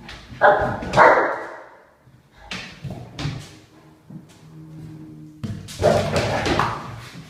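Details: Great Dane barking in loud, deep, rough bursts: a pair of barks near the start, a few softer thuds in the middle over a low steady hum, then another strong run of barks near the end.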